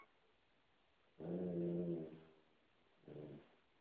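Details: A male Basset hound gives a deep, drawn-out bark, then a shorter second bark, as he chases another dog off his couch to warn it away.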